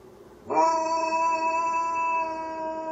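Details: Malamute mix dog howling: after a brief quiet start, a loud, steady, tonal howl begins abruptly and holds an even pitch, rich in overtones, through to the end without breaking.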